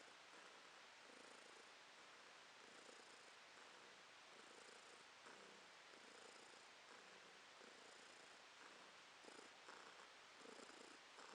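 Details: Domestic cat resting, recorded in July 2022: a steady, soft, continuous purr with rhythmic swells as it breathes in and out, roughly every second, in a quiet indoor setting.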